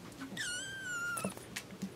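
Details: A single kitten meow, high and drawn out for about a second, starting sharply and sliding slowly lower, with faint taps and soft room noise around it.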